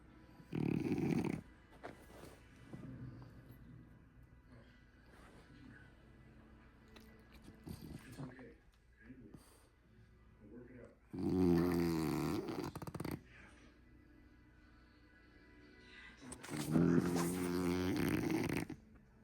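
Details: Sleeping long-haired French Bulldog snoring: loud rasping, buzzy snores lasting one to two seconds, separated by quieter breathing and snuffles, in a quiet room.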